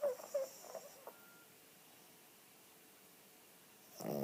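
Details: Cavalier King Charles Spaniel, a 9 kg female the vet calls a bit too fat, snoring indoors while asleep with eyes open; short rough snorting bursts in the first second, then near silence, ending in a louder breathy rush.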